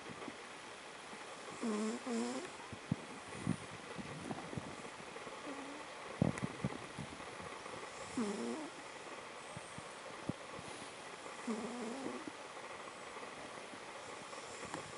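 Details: Noni the cat snoring while asleep, a habit described as commonplace for her; soft, harmonic snore strokes roughly every three seconds against a steady background hiss, with a few faint clicks.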